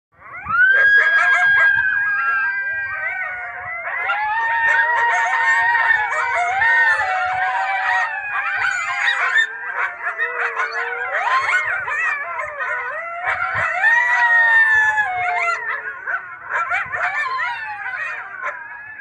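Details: Coyote (Canis latrans), group howl.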